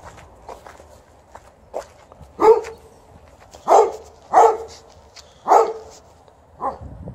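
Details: Golden Retriever outside with the snow almost melted, complaining through a string of yelping barks: a soft start, then five strong, rough calls roughly half a second to a second apart, ending with a quieter yip.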